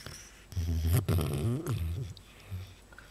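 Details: A pet fox, indoors, biting and chewing its owner. It gives a low, pig-like grunting snort lasting about a second and a half, followed by a short, softer grunt, in a quiet room.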